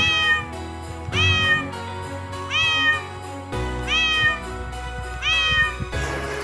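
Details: Cat meowing: five clear, evenly spaced meows, each a short bent cry that rises then falls, repeated about every 1.3 seconds over soft background music.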